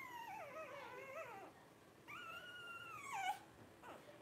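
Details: Twelve-day-old Blenheim Cavalier King Charles Spaniel puppies from a litter of five born to Paris and Spike at New Year's 2023: two long, wavering, harmonic whines, the second a sustained level tone that dips at its end.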